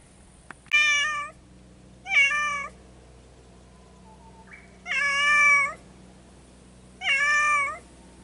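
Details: Two cats calling to each other yet unable to be together: four clear, drawn-out harmonic meows spaced about two seconds apart, each fairly level in pitch with a slight dip at the end, over a quiet indoor hum.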